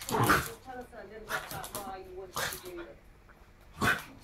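A Shiba Inu gives sharp, spaced barks with high whining tones between them, over a human voice.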